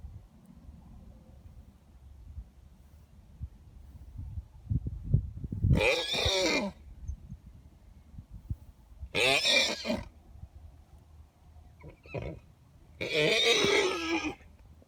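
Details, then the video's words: Two horses, both geldings that have lived together for years, give harsh, high squeals in short bursts about a second long after some low rumbling snorts; owner had never seen this before and wonders if it is spring fever. "Horses making WEIRD noises"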